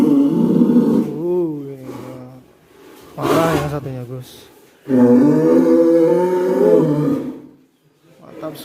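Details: Hanoman, a huge fattened Indonesian cattle being readied for a 2023 cattle contest, gives long, low, drawn-out moos with a wavering tone, two main bellows separated by a pause, in an echoing indoor space.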